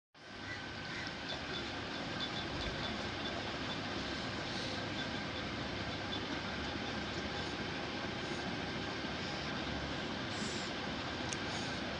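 A steady rumble of passing vehicles or a train, with no animal calls.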